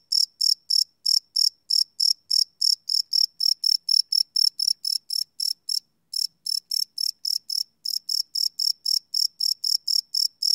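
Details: Cricket at night, live field recording on a Sony PCM D100: rapid shrill chirps repeating roughly four times a second, with a short gap midway before the series resumes, quiet background.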